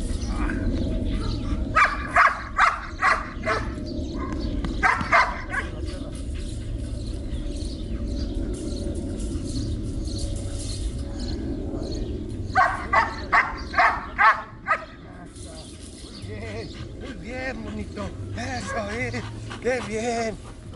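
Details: Belgian Malinois named Trueno in protection training at Zumpango, State of Mexico, barking in two short bursts of sharp repeated barks, separated by a quieter stretch with low rumbling background and a man talking near the end.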